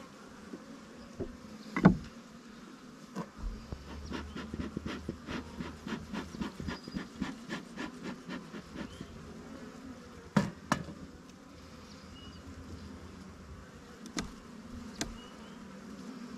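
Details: Colony of honey bees in a fast-growing split hive started from five frames about 20 days earlier; an even low droning buzz carries through, overlaid by rapid series of dry clicks and taps from handling the hive.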